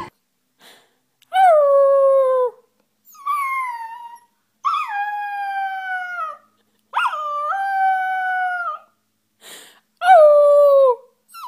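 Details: Puppies howling: a string of six drawn-out, clear, tonal howls, each starting high and sliding down before trailing off, separated by short silences, with a couple of faint yips between them.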